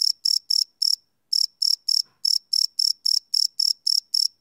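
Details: Cricket chirping at night, recorded live outdoors on a field recorder: loud, high, pulsed chirps repeated about four times a second, with one short pause partway through and otherwise nothing else audible.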